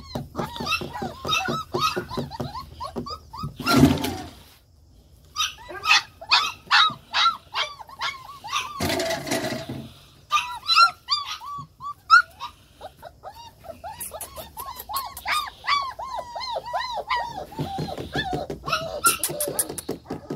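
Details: Several German Shepherd pups whine and yelp in quick, arched, squeaky bursts, broken by two loud rustling knocks and short pauses, the crying rising into denser overlapping squeals toward the end.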